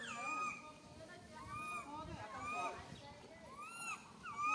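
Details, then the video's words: A lone baby monkey stranded on a high tree calls for its mother in fear, giving a quick series of clear, bowed whistling cries that swoop up and down, several overlapping, over a soft background hiss. "Calling Mum Helped while Stuck on high tree alone Tiny baby monkey SANTOS Cry very fearful"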